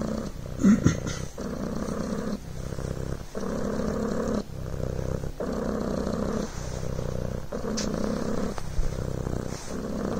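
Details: Coco the Devon Rex kitten purrs close up, a soft rolling buzz pulsing in rhythmic breath cycles of about one to one and a half seconds, with a brief faint rustle near the start.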